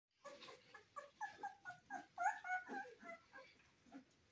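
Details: Cane Corso puppies in their first weeks of life give soft, squeaky whimpers: short nasal cries in a quick, uneven series of about four per second that swell and fade in a quiet setting.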